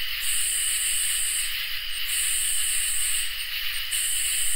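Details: Crickets and katydids singing on a summer night, a constant ringing trill beneath repeated high, hissing buzzes lasting over a second each, separated by brief gaps, with no other animals or noise.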